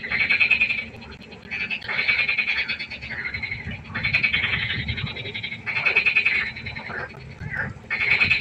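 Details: Frogs at a pond by night call in loud, buzzing, pulsed croaks, bursts of about a second rising and falling in turns, with neighbours answering across short pauses.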